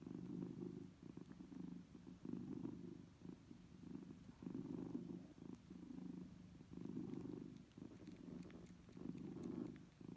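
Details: A mother cat nursing her kittens purrs steadily, a low rumbling throb that swells and fades about once a second.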